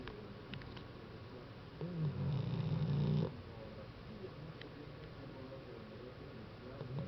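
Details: Tyson, a dog, gives a single low, rumbling snore of about a second and a half midway through, set against quiet background hiss.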